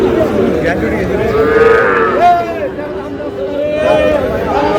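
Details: Young Sahiwal bull calf at a busy cattle market in Barishal, Bangladesh, during bargaining between buyer and seller. It gives a drawn-out, wavering moo, bending upward then down, amid crowd noise and voices.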